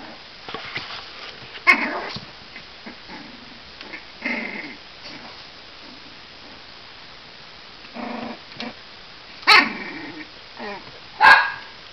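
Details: Three Cavalier King Charles Spaniel puppies, 35 days old, playing together; scattered high yips and small growly barks in short bursts, louder squeals near the end.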